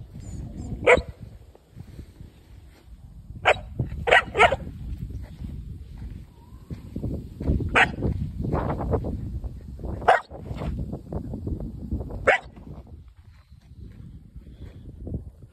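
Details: Belgian Malinois pup, four months old, facing a seven-foot South Texas black snake near Alice and Freer, Texas: abrupt single and paired barks spaced a few seconds apart, with steady low background noise between them.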